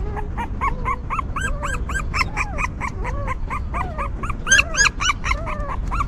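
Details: Whimpers from newborn puppies tended by their stray mother: a fast train of bright arched squeals with overlapping lower, shorter moans, one louder squeal burst near the end, steady low background rumble.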